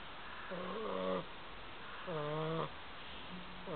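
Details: A sleeping Bulldog snoring: steady, buzzy, tonal low snores with stacked harmonics, each lasting under a second and repeating roughly every one and a half seconds over a constant background hiss.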